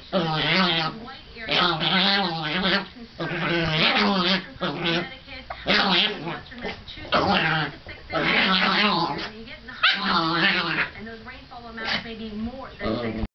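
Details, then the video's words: A neurotic pet Chihuahua having one of his fits: continuous high, harmonic whining and yelping in rapid wavering bursts, pulsing roughly every second or two throughout, with little pause between outbursts. "Psycho Chihuahua"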